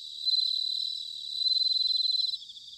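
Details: Bell cricket song in autumn from Sanuki, Chiba, Japan: a loud, clear, high bell-like ring made of rapid pulses, sustained for about two seconds and then cut off, leaving softer trilling behind.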